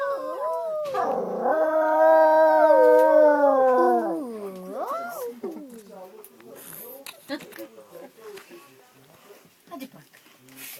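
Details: Dog met on a train, prompted to sing, producing a long, level howl lasting about three seconds that bends and trails off, then quieter human speech and background noise follow.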